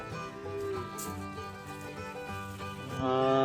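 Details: A fiddle plays a lively, country-style passage with held, ringing notes and a fuller swell near the end. No animal voices can be picked out beneath the music.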